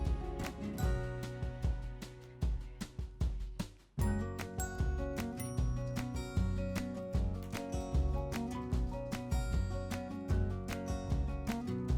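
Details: Soft background music with light percussive clicks plays throughout, with a brief drop in volume near the fourth second and no animal voices.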